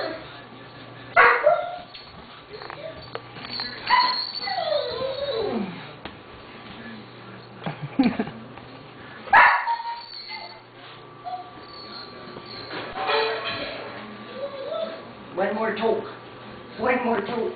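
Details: Doberman Pinscher puppies at six weeks old yipping and whimpering: sharp high yelps, a long falling whine, and bursts of overlapping squeaky cries from several pups, with a person's voice and a low background hum.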